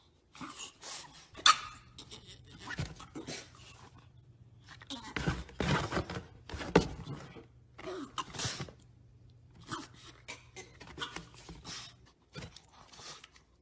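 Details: French Bulldog indoors, giving short irregular bursts of barks and snorting noises spread across the stretch, with a person speaking in between and a steady low hum underneath.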